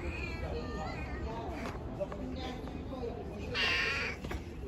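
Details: Street-dwelling stray cats and kittens being given food; a drawn-out meow early on, then a brighter, strained meow near the end, over a steady low background rumble.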